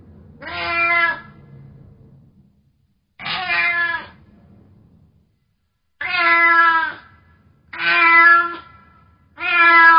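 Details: Angry domestic cat meowing loudly, five harsh, strained meows roughly every two seconds, each about a second long, separated by near silence with a low murmur of background noise early on.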